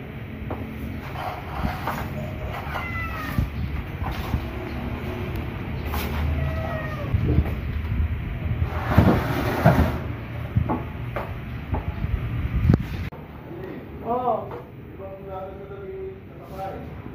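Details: Pet cats (puspin) in their cage while it is being cleaned. Rumbling noise and clatter dominate at first, then a run of short, harmonic, rising-falling meows comes near the end.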